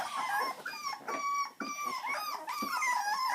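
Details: Miniature dachshund puppies whimper indoors in a steady chorus of thin, high squeals. Short whines rise and fall and overlap almost without a break.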